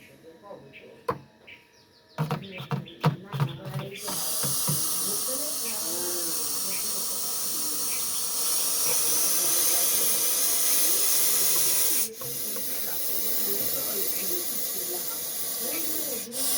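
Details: Russell's viper (Daboia russelii), locally called chandrobora sap, hissing as a warning: after a few seconds of clicks and handling noise, a loud steady breathy hiss starts abruptly and runs for about eight seconds, with a voice talking underneath.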